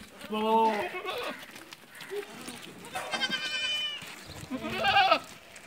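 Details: Barbari and Sojat does that have kidded once or twice, on a goat farm in Ajmer, Rajasthan, India: three loud, wavering, nasal bleats about two seconds apart, the last rising and strained, with faint background noise.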